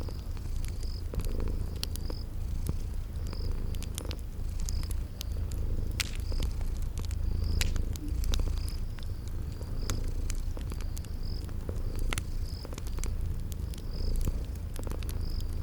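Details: Sleeping kitties purring in a spring garden ambience with a fireplace: an unbroken low purr runs beneath frequent sharp crackles and a steady series of short, high-pitched insect-like chirps repeating about every second.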